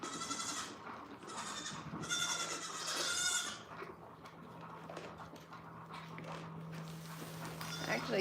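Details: Goat kids at The Willful Goat Farm & Home, being trained to drink milk from a bottle, bleat loudly in three wavering, nasal calls early on, followed by quieter rustling, a steady low hum and brief talk.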